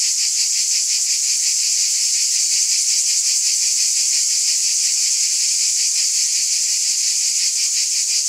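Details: Summer-night chorus of cicadas, a sustained high, sizzling buzz with a quick regular pulsing, loud and uniform, nothing else audible.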